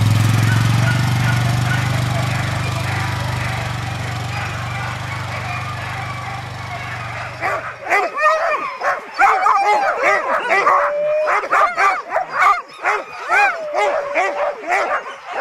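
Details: Alaskan huskies at a sled dog gathering in Målselv, Norway, 18–20 September 2009: after eight seconds of engine drone, a chorus of sharp, yelping barks and rising whines, many dogs calling over one another in quick, uneven bursts.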